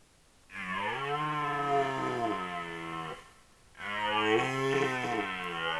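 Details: Red deer roaring during the rut in 2022, captured by a camera trap: two long, deep, harmonic roars of about two and a half seconds each, the pitch sagging and then lifting, separated by a short quiet gap.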